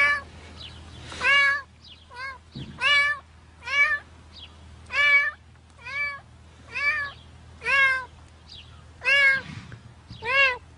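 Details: Cat stuck fast in concrete, giving a steady series of loud, drawn-out meows about once a second, each rising then falling, with a low hum underneath.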